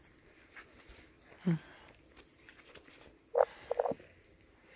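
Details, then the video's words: Teddy Bear dog (Shih Tzu × Bichon Frise) named Gary throws a fit as his owner leaves for the grocery store: a low short grunt, then a cluster of brief, high, strained whimpering yelps near the end, set in a quiet indoor room. "Gary Throwing a Fit When Mommy Leaves To The Grocery Store"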